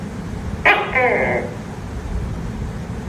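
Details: Tokay gecko calling at night: a single short, sharp two-part croaking note with a bright nasal overtone, heard once over a steady background hiss of night noise.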